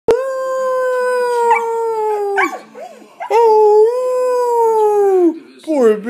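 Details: Shredder, a newly adopted pet dog, howling indoors as a person howls along to coax him: long steady tones with rich harmonics, slightly falling, two main howls broken by short yips and a rising wavering note.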